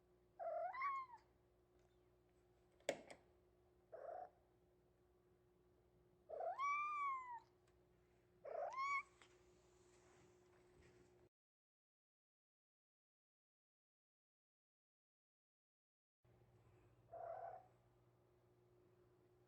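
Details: Three-month-old male Maine Coon kitten meowing earnestly to be let out of its cage indoors: about six clear, bright meows, some long and arching with strong overtones, one sharp click, a silent stretch, then a final meow.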